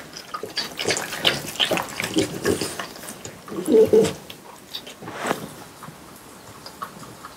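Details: Three French Bulldogs eat watermelon indoors in summer for an ASMR piece. Wet slurping, smacking and crunching come in quick bursts, with one louder chomp near the middle before quieter licking trails off.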